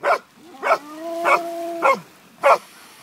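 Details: Basset Hound at Island View Beach giving a sustained, steady baying note while a companion Springer barks in short, sharp bursts about every 0.6 seconds.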